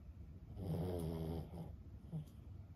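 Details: Asleep indoors, fifteen-year-old Boston Terrier Lulu gives a single low vibrating snore lasting about a second, fading into softer breathing and a small snuffle.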